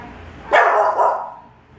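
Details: Joy, a docile American Bully puppy aged three months and nineteen days, lets out a single short, bright bark with a brief second lift before fading, in a quiet room.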